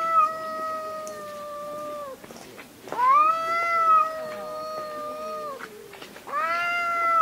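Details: Fighting cats screaming: long, drawn-out wailing yowls with strong harmonics, each held one to three seconds, wavering and sliding in pitch, separated by brief quieter gaps.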